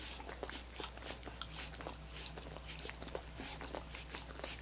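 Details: Wet, rapid licking and lapping from dogs working on coconut water popsicles, sharp smacking clicks bunched in quick bursts, a faint low hum and soft tone running underneath.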